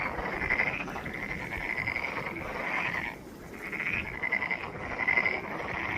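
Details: Pond frogs in Ulsan National Garden's Monet's Pond croaking together in a loud, trilling mass of rapid pulses, briefly dropping quieter just past halfway before surging back.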